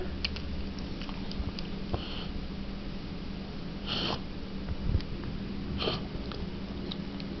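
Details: Pet bulldog indoors in a small room, reverse sneezing: harsh, noisy snorting breaths in short bursts, the strongest near the middle and again shortly after, over a steady low indoor hum.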